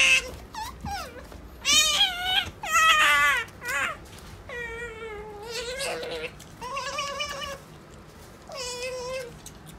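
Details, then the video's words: A pet otter eats lettuce while giving a rapid run of squeaky, mewing "nya-nya" calls, some wavering and some rising, with short pauses between bursts and a few chewing clicks. "カワウソさくら んにゃんにゃ連発！"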